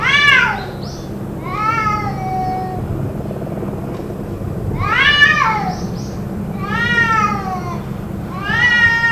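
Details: Cats yowling in a possible fight, the noise going on for about two hours: loud harmonic wails rising then falling, repeated roughly every two to three seconds, some long drawn-out, over a low background hum.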